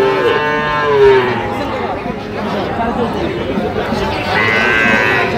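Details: Sahiwal bull calves at a cattle market in Barishal, Bangladesh; a low, drawn-out moo at the start, later a fainter higher cry, over steady crowd chatter and bustle.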